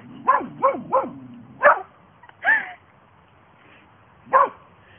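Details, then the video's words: Pair of Border Collie sisters in playful mood, giving three fast sharp barks in a row, then a few spaced single barks and a higher yelping note, ending with one more loud bark. "Two Border Collies"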